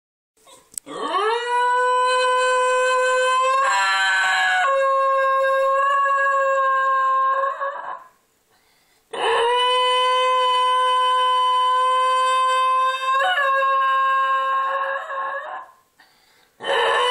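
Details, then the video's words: A 4-year-old male Basenji, a barkless breed, gives long, steady, wavering howls in response to a loud outdoor tornado warning siren. "Basenji Howls to Tornado Siren"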